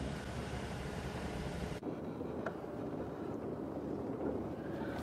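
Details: Steady vehicle engine rumble and wind noise, with no animal calls heard.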